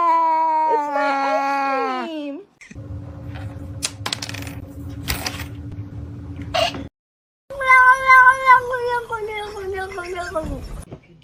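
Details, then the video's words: Cat from a funny cat compilation making a drawn-out meow that slides downward, then a hum with knocks and thuds, then a long wavering yowl-like meow over background voices. "kitten meowing"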